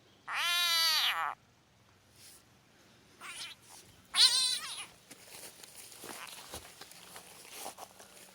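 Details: When gently squeezed, a Southern bell frog lets out a loud, rich, cat-like wail, then a second shorter scream a few seconds later. Faint rustling and small sounds fill the gaps.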